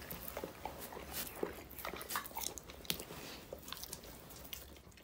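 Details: Dog eating raw food such as meat, chicken and vegetables, with crunchy, irregular chewing and biting clicks, wet smacks scattered through a few seconds, indoors.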